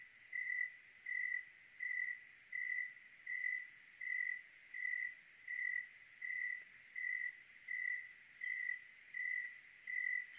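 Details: Cricket chirping on a clear night in Oregon: a steady, high, pure-toned chirp repeated about every three-quarters of a second, roughly fourteen even pulses over faint background hiss.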